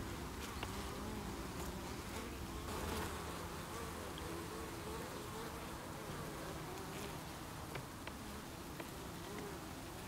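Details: Defensive honey bee colony at its hive, 8 August 2018, workers removing an intruding insect after beewolf wasp attacks; an unbroken mass buzz, deep and constant, with a wavering mid-pitched whine and occasional sharp clicks over ten seconds.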